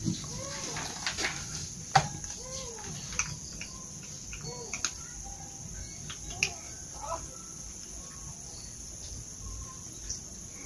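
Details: Cute village kittens eating breakfast together, giving short arched mews a few times in the first seconds amid clicking, chewing-like ticks, a steady high electrical hum and a quiet stretch later on.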